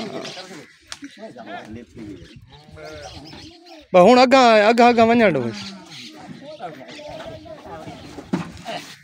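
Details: Pregnant Dera Din Panah goat on a farm in Pakistan, recorded 8 August 2023 during a sale to buyers from Lahore. One quavering, wavering bleat lasts about a second and a half, with men talking before and after it.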